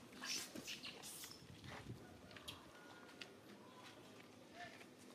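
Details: Baby monkey Alis cries and seeks its mother for help after being hugged by monkey Chago. Shrill, high squeals burst over the first second, then fade into quieter scattered calls and low background noise.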